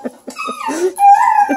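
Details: Bluetick and Redbone Coonhound puppies playing indoors at a breeder near Kingston, Ontario, Canada: one pup gives a high, drawn-out tonal whine that wavers and rises, preceded by a few soft short yips, with a person's voice nearby.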